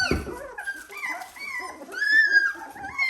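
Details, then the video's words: Seventeen-day-old Dalmatian puppies whining indoors, a string of thin, wavering cries overlapping one another, some sliding up and down, with a short soft thump at the start. "Dalmatian puppies day 17"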